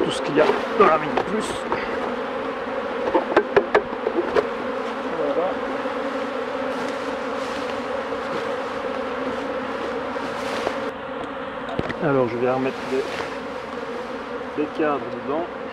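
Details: Continuous droning hum of a honey bee colony while a beekeeper works the hives, broken by sharp knocks and taps of handling and short bursts of a man talking.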